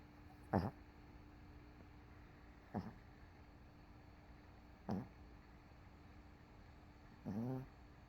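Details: Sleeping on the couch after a rough day, MoMo the dog snores in brief, rasping snorts roughly every two seconds, four in all, the last one longer and rattling, against a low steady room hum; CoCo sleeps nearby.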